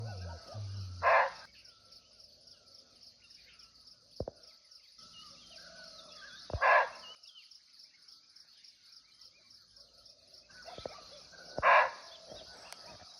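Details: Wild barking deer (muntjac), unseen but close by, in a natural forest in Nepal. Three short, sharp, harsh barks about five seconds apart over a steady high insect hiss, with faint bird chirps between barks.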